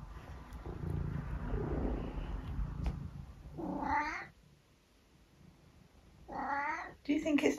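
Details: Talkative tabby cat meowing back at its owner indoors: after a few seconds of low murmuring and room noise, two wavering, nasal meows about two and a half seconds apart, then a woman's voice starts speaking.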